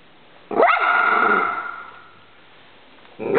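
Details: Choco, a pet dog, gives one long drawn-out bark at a squirrel outside, a rising yelp that holds steady for about a second, then quiet until a second bark starts at the end.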